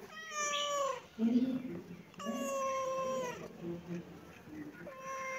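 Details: A domestic cat gives three clear, high, steady meows, each held for about a second with a gentle downward slide, separated by a brief low human voice.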